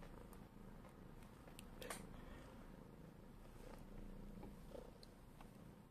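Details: Domestic cat walking across a person's shoulders indoors, purring steadily as a low, rapid rumble of about four pulses per second, with rustling and light clicks close to the microphone.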